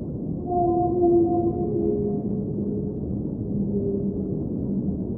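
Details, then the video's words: Whale singing underwater: several drawn-out tonal moans with faint overtones overlap and slide slightly in pitch, each lasting one to two seconds, over a steady low underwater rumble. "Underwater Whale Sounds - Ambient Soundscape | Whale Singing"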